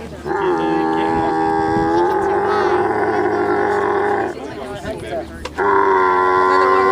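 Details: Camel giving a long, drawn-out harmonic moan for about four seconds that shifts pitch partway through, a short break of rougher noise, then another sustained moan.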